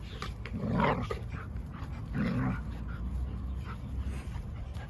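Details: Sable female German Shepherd playing with her best friend: two short, low, rough growl-like vocal bursts roughly a second and a half apart, set against a steady low rumbling background with faint scuffling.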